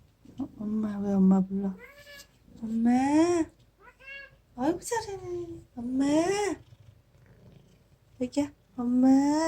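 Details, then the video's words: Domestic cat, once a dying feral kitten rescued in summer 2018 and named Aegi, whose calls sound like "eomma" (mom) to its owner: a series of drawn-out harmonic meows, some rising then falling, separated by short pauses indoors. "내귀에 "엄마" 라고 말하는 냥이"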